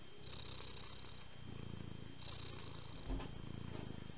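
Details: Cat purring close up: low, buzzing rumble pulsing quickly, growing stronger in breathy waves roughly every second, with one brief bump near the end and a faint steady whine in the background.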